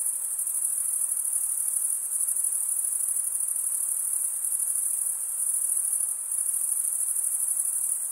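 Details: High, unwavering trill of chirping crickets, males stridulating with their wings, rising and falling gently in strength but never pausing, with nothing else heard.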